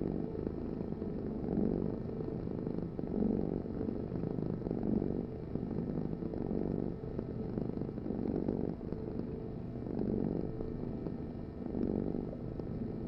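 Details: Cat purring steadily: a low, rumbling drone that swells in soft pulses about every one and a half to two seconds, following the breaths, with no other sounds heard.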